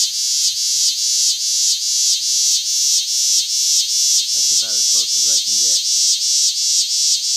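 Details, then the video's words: Large green cicada, Lancaster County, Pennsylvania, August 18, 2016, pulsing its shrill buzz about twice a second in a steady rhythm, while a person's voice speaks briefly midway. "Nathan's Big Green Cicada"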